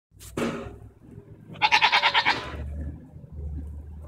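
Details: Goats arguing, recorded June 24, 2014: a sharp burst of noise, then one tremulous, pulsed bleat with about eight rapid wavering beats lasting under a second, followed by low rumbling background.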